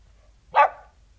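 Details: Single abrupt bark from a King Charles Spaniel recorded outside, loud and brief with a quick fade against near silence.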